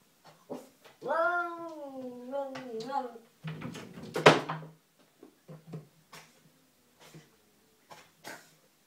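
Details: Garden standoff with an unwelcome cat: a wavering, bending yowl rising and dipping for about two seconds, followed by a loud scuffling burst and scattered clicks and taps.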